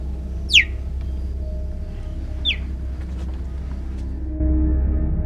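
Cheetah giving two sharp, high, bird-like chirps that slide quickly downward, about two seconds apart, over a steady low rumble of background music.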